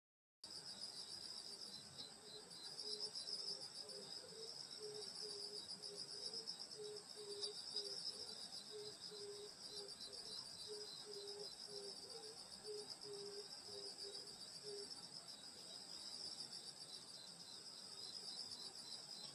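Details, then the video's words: Grass insects chirring on a summer night in the countryside near a grandmother's house: a dense, steady high shimmer with layered pulsing trills, plus a run of short low tones repeated about twice a second through the first fifteen seconds. "여름소리 풀벌레소리 시골밤소리"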